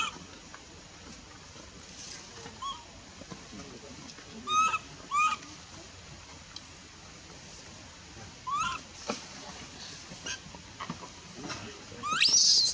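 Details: Baby monkey, a female, rejected from milk by her mother near Bayon, gives a few short, bending cries, paired around the middle and again near the end, over a quiet hiss with faint clatter.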